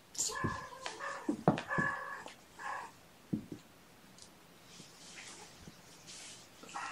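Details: Mother cat Gamora, indoors with her five kittens born April 14th, calling for the babysitter to come in: a quick series of clear, harmonic meows over the first three seconds, then soft rustling and faint clicks.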